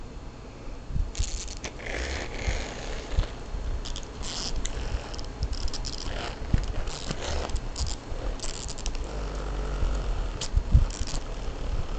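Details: Repeated scraping, crackling and rustling handling noises, like a toy being pulled and rubbed, with no clear animal voice.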